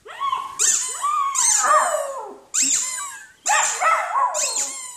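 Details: Poodle from a 2016 barking and howling compilation, giving a run of whiny, tonal yelping barks, some drawn out and rising then falling, in clustered bursts with short gaps; no other clear sounds.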